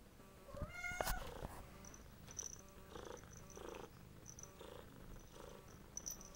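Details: Domestic cat being given medicine indoors: a short tonal cry rises and falls near the first second, followed by soft rhythmic purring pulses and a faint steady high whine in the background.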